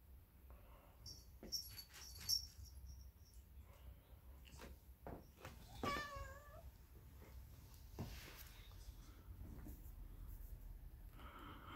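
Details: A white Turkish Van cat rolling around on New Year's Day lets out a single short, wavering meow amid faint taps, rustles and a low household hum.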